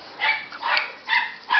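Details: Rottweiler puppy making four short, high, nasal whimpers, each lasting about a quarter second with a slight rise and fall, separated by brief quiet gaps.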